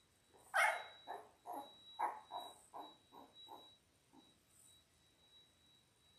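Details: A litter of six 10-day-old Labrador Retriever puppies on a live puppy cam: one sharp squeal followed by a run of about eight short, falling whimpers spaced roughly half a second apart, fading out, with a steady high electronic tone behind.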